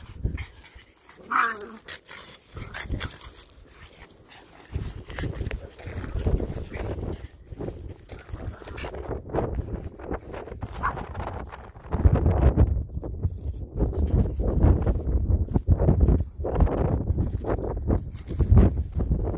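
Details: Female pug playing with her tire toy, making low snorting grunts in irregular bursts with muffled thumps and rustling from the play, louder and busier in the second half.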